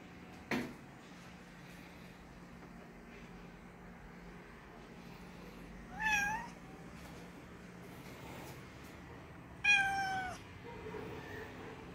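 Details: A pet cat named Margot meows while wanting to drink coke; two clear rising-then-falling harmonic meows about four seconds apart, a sharp knock near the start, faint hum and a softer murmur at the end.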